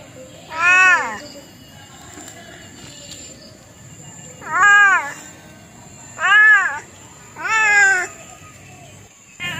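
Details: Cat meowing four times, each call a rising-then-falling wail spaced a second or two apart, over a faint constant high-pitched hum and low background rumble.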